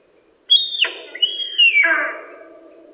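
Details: Autumn whistles of a male sika deer, Primorsky Krai, Russia, 2021: two piercing high whistles in quick succession, each a sustained shrill tone dropping abruptly at its end, the second longer and tailing off, over a quiet background.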